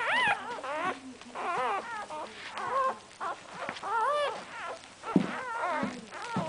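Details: Just-born Cocker Spaniel puppies giving thin, wavering squeals and whimpers, short broken cries tumbling over one another at an uneven pace, with soft rustling between calls.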